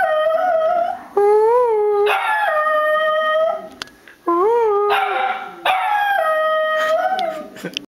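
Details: Tom Hanks, a household dog, gives sustained mournful howls, each note holding steady then bending upward and falling back, in roughly five long phrases separated by short breaths and a few sharp yips.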